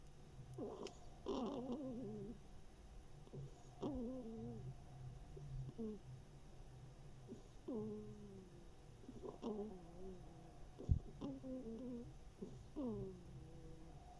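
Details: Snoring and snuffling from Mashenka, a female hedgehog with one ear missing, summer 2021. Soft whistling nasal notes that curve downward recur every one to two seconds amid quiet sniffing breaths.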